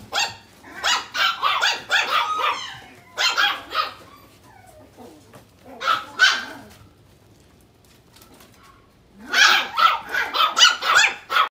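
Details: Rapid volleys of sharp, bright barks from a dog, several per second, broken by a near-silent gap of about three seconds before another dense burst of barking.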